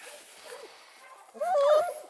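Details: Four-week-old male Redbone Coonhound pup from the Roxy litter, raised by a hound breeder near Kingston, Ontario, Canada. A woman talks softly to him, then he gives one brief, high, clear yelping bark that holds steady and then drops.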